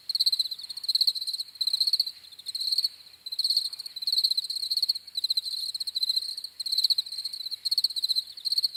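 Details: Several crickets chirping together, shrill rapid pulse-trains swelling and fading roughly every second and merging into a steady high-pitched chorus, with soft background hiss.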